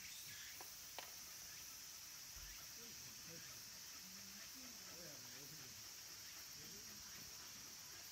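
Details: Cicadas droning at Kabusanji, a Tendai temple in the mountains of Takatsuki City, Japan, near the end of summer: a steady high-pitched hiss holds throughout, with faint low murmurs beneath it.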